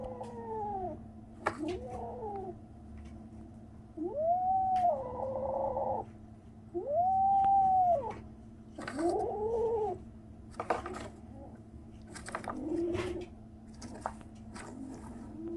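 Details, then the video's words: Young kitten at 37 days old making strange noises: a series of loud arched meows spaced a couple of seconds apart, several long and steady, others short and wavering, amid clicks and rustling handling sounds. "생후 37일째 베리의 아기고양이! 이상한 소리를 내요, 37 days after birth, the kitten makes strange noises"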